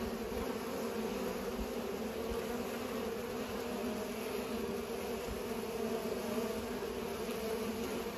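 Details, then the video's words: Bees buzzing while pollinating: a steady, unbroken low hum with layered drone tones, holding constant for the whole stretch and no other clear sounds. "Bees are pollinating"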